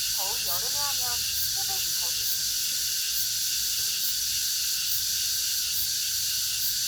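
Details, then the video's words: Shrill droning of cicadas in August, an unbroken high buzzing wall of sound with slow pulses; a few quick warbled bird chirps open the first two seconds. "the sound of the cicadas in August(8월의 매미소리)"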